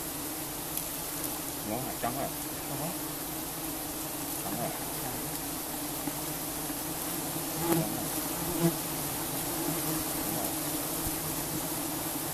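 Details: Giant honeybees during honey harvesting: a steady, dense droning buzz with low hum bands and passing wingbeat swoops as individual bees fly close, plus a few sharp louder buzzes near eight seconds.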